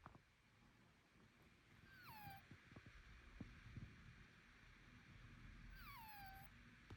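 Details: A Bengal cat gives two thin, squeaky cries that slide sharply downward, a few seconds apart; the owner finds the sound strange and wonders whether it is illness, nasal breathing, a blocked nose or allergy.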